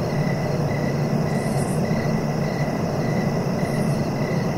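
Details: Regular brief cricket chirps repeating about every half second, a thin high buzz overhead, against a heavy, even low-pitched rumble.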